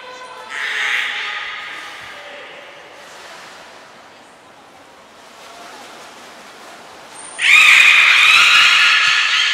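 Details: During a training session for belugas Gray, Nana and Mirai at Port of Nagoya Public Aquarium, 6 August 2023: a brief squealing call, a quiet stretch of hiss, a thin high whistle, then a loud, sustained, buzzy harmonic squeal.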